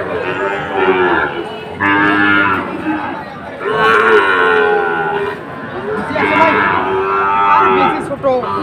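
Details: At Ambari cattle market near Sylhet on 2 October, Sahiwal bull calves give four or five distinct, swelling moos, each lasting about a second, separated by short lulls filled with market voices.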